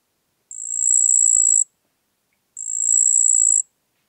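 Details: Marsh cricket (Pteronemobius heydenii) recorded at Puntigam, Austria, 4 June 2022: two high-pitched buzzing trills, each lasting about a second and swelling slightly in loudness, spaced roughly two seconds apart, with silence between.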